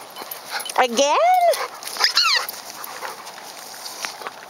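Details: Playful retriever giving two high, sweeping whine-like calls, the first rising then falling with rich overtones, the second shorter and descending, while a person eagerly asks whether the dog is ready.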